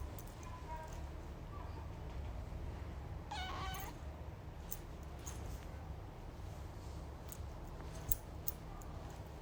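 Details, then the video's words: A tiny kitten gives one short, bright harmonic meow partway through, over a steady low hum and a few sharp clicks. "This Tiny Meow"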